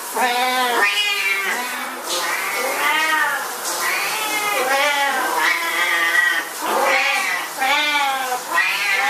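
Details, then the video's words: Several Siamese cats at shower time give loud, wailing meows one after another, each arching up and down, nearly continuous for nine seconds with a hissing background. "Siamese Cats At Shower Time"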